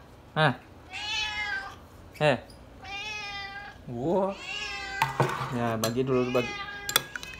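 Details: Domestic cat yelling for food with drawn-out, wavering meows roughly every two seconds, interrupted by short sharp yowls; human speech and clattering dishes in a small room.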